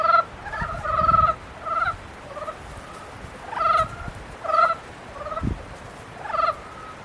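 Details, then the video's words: Mating frogs producing a few loud, buzzy harmonic croaks about once a second, some drawn out and rattling, alongside faint low thumps and background noise. "개구리 짝짓기"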